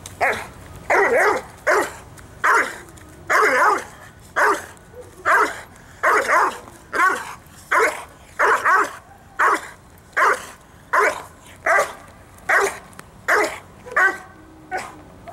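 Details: All-white Dobermann barking steadily, single loud barks repeated roughly every second for the whole stretch, with no other clear sounds.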